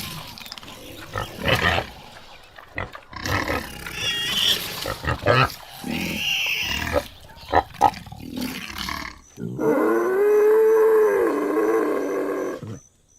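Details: Common warthog heard amid a stretch of scattered noisy bursts and thumps, ending with a loud, drawn-out tonal squeal that arches up and down over about three seconds.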